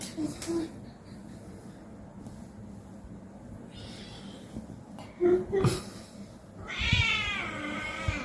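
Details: Cute pet cats being played with indoors; scattered clicks and rustles and a brief voice lead to a long, strong, wavering meow near the end, its harmonics bending up and down, over a faint low hum.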